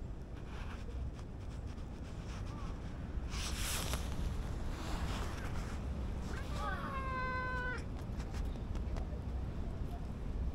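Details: Stray cat meeting a familiar person again after a long time, outdoors. A single clear meow lasts about a second, falling slightly then levelling off. A loud steady rumble of wind or traffic runs throughout.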